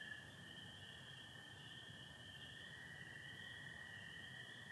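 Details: Chorus of spring peepers in Michigan on a clear-to-partly-overcast April night, a constant shrill wall of sound layered above the sustained lower trilling of American toads.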